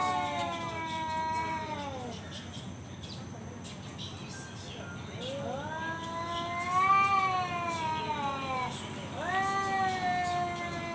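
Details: Male cat calling out a rival for a fight with repeated long, moaning yowls, each several seconds long, rising in pitch and then sagging, separated by brief gaps; low background murmur.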